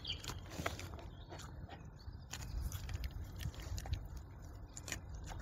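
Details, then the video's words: Wild boar in the woods eating a carrot, making loud wet smacking and chewing noises: irregular sharp clicks and crunches over a steady low rumble. "Wildschwein schmatzt beim Essen | Lustige Tiergeräusche | Kauen & Grunzen"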